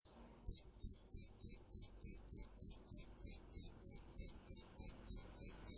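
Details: Cricket, described as a fighting cricket, chirping: after a brief pause, a bright, very high-pitched chirp repeats steadily about three times a second, each note sharp and ringing, with nothing else audible.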